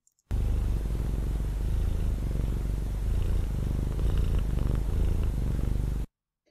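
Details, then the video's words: Domestic cat giving a closed-mouth purr, the softer, smoother subtype: a continuous low, rhythmic rumbling purr pulsing steadily for about six seconds, with no other sounds. "you a few examples of closed mouth purring the softer smoother kind we have one audio example here"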